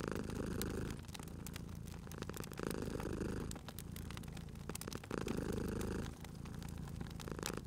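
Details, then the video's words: Cozy purring from a cat resting at a fireplace: deep vibrating purr in alternating breath phases, roughly a second each, with gaps between, while the fire crackles and pops sharply in the background. "Cute Purring Cat at a Crackling Fireplace"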